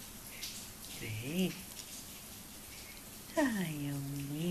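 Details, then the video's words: Freshly woken Australian Stumpy Tail Cattle Dog indoors letting out a brief arched whine, then a longer drawn-out yawning moan that rises and sags, over quiet room hiss. "Австралийская короткохвостая пастушья собака - Проснулась!"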